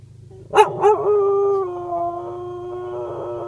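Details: Mollie, a cocker spaniel, singing: two sharp yelping bursts lead into a sustained, even-pitched howl lasting about two seconds, in a quiet indoor setting.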